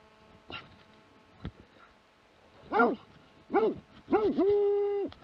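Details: Plott hound in Latvia, 2017, giving a quick run of arched barks that rolls into a held, level bay at the end, over a quiet background with a few knocks.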